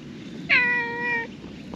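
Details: Black-and-white tuxedo cat with an odd-looking tuft of fur, seeming to talk to the person: one clear, drawn-out meow lasting under a second, steady in pitch with rich harmonics, over a faint low background hum.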